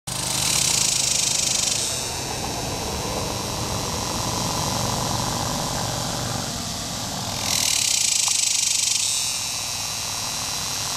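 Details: A superb dog-day cicada (Tibicen superbus) calls from an ornamental tree, possibly a Bradford pear, at a picnic area along the Muskogee Turnpike in eastern Oklahoma on July 18, 2010, around 8:20 PM. It gives loud, high, rasping buzzes in two bursts over a low background rumble.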